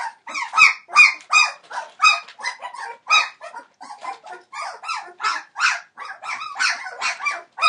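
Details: Litter of three-week-old Entlebucher Mountain Dog puppies, born 28 December 2013 to Shadow and Falk, squealing continuously: shrill, harmonic yelps of rising and falling pitch, roughly two to three each second, several pups overlapping.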